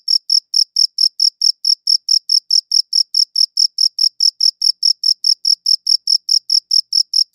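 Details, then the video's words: Chirping crickets recorded with a good audio recorder, a rapid, even series of short shrill pulses roughly four per second, with no other sounds. "Cricket Chirping Sounds"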